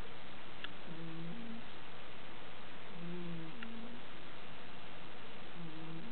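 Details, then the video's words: A fat house cat wheezes and snores in her sleep, giving soft, low, two-part snoring breaths spaced about two and a half seconds apart, with faint ticks and steady hiss around them. "My snoring kitty"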